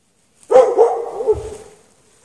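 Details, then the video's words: One long, wavering bark that rises and falls, from a dog chained outdoors in snow at night with no shelter, on 3 March 2014. "Dog barking chained out in the snow"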